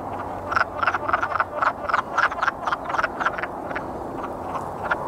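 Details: Wood frogs giving their courtship mating call, a quick run of hoarse, duck-like clucks.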